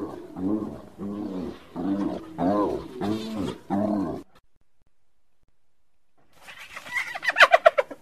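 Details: Hyena giving a run of repeated, arched, harmonic notes about two per second for four seconds, like rhythmic cackling, followed by silence and then a burst of higher, rapid pulsed notes.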